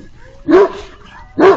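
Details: A livestock guardian dog springs into action, giving two deep, gruff barks about a second apart in answer to a pack of coyotes howling nearby.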